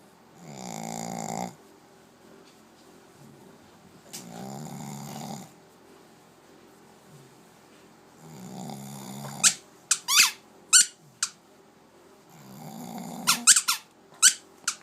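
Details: A female Shih Tzu, sleeping wrapped in a warm towel after a walk and a shower, snores in slow, rasping breaths about every four seconds. The sharp squeaky snorts come from another dog's squeaky ball.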